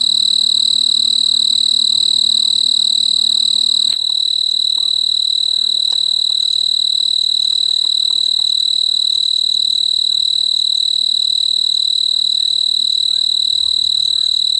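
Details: A male snowy tree cricket (Oecanthus fultoni) on a large purple clematis bloom on a veranda in mid-August chirps steadily, a high, pure trill repeated a few times each second, calling for a mate.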